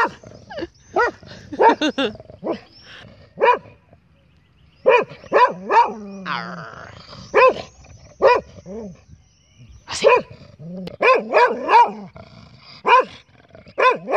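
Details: Ozzy, a dog resting in a park after a walk, voices disappointment because he wants to keep going: short, sharp harmonic barks fired in quick clusters of two to four, separated by brief quiet gaps, over about fourteen seconds.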